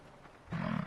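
A bison gives a single deep, rumbling bellow that starts abruptly and holds for under half a second, low and rough in tone.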